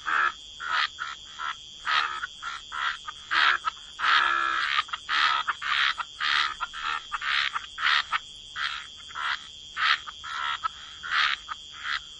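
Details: Frogs croaking in a waterside wetland chorus: short raspy croaks repeated roughly every half second at an uneven pace, with a longer burst near the middle, over a steady high insect-like drone.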